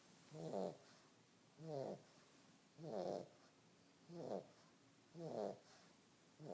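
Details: Sleeping pug, described as lazy and fat, snoring in slow rasping bursts about once a second, each breath a rough buzzy rumble with harmonic layers, separated by short quiet pauses.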